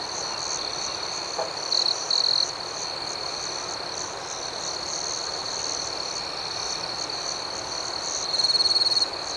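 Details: Crickets chirping through the night: an unbroken high-pitched pulsing hum, with short louder trills early on and again near the end.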